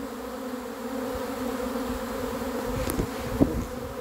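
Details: A catch of a honey bee swarm: a dense, steady buzzing drone that swells slightly over four seconds. A couple of brief knocks sound near the end.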